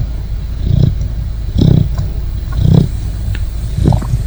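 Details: Great Dane puppy asleep, giving four low, throaty snores in quick succession, each a short rumbling rasp roughly a second apart, with a faint background hum.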